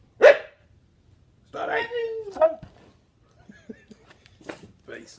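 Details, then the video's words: Trick-performing husky vocalizing on command: a sharp yelp, then a drawn-out woo-woo howl sliding downward, followed by quieter broken calls and faint voices. "Singing huskies perform incredible dog tricks"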